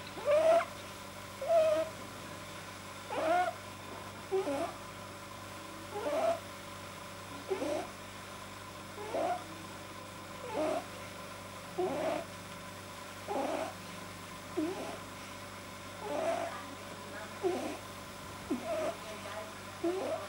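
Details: Pet rabbit whose overly long soft palate makes it produce odd sounds when deeply relaxed; short rasping, squeaky snorts repeat roughly every one and a half seconds over a steady low hum indoors.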